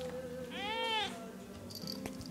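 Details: Kitten outside a bedroom door at night, seeking attention, gives a single short, arched, wavering meow that rises then falls. Faint room hum, and a person speaks softly nearby.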